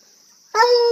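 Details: Coonhound howling after finally spotting a squirrel; after half a second of quiet with a high insect whine, a loud, rich, steady baying note bursts in and holds to the end.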